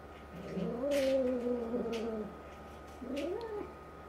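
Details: Resident tabby cat, around five to six months, confronting a two-month-old black kitten indoors during an escalating fight, making an unusual voice. A sustained, wavering caterwaul rises then sags for over a second, followed by a shorter rising yowl.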